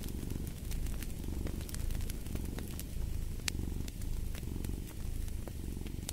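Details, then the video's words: Domestic cat purring steadily, a deep low rumble swelling and easing in roughly one-second breathing cycles, with sharp crackles and pops from a fireplace scattered throughout. "Fall asleep to the Purring of a Cat & Fireplace"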